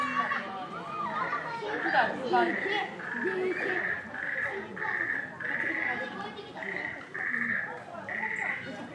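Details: Chimpanzee Pink Daiya, 13 years old, at Noichi Zoological Park in March 2023, squabbling within the group: a steady run of shrill, high, tonal screams repeated roughly every half second, with lower chatter and background voices underneath.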